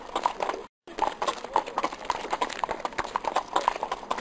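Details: Crisp clip-clop of a horse's hooves, quick, ringing knocks following one another at a lively pace, with a short dropout early on and nothing else audible.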